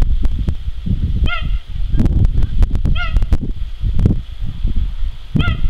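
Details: Captive male cheetah Jango at Zoo de la Boissière du Doré on 21/09/2014 gives three brief, sharp, bird-like chirps roughly two seconds apart, with loud low rumble and knocking throughout.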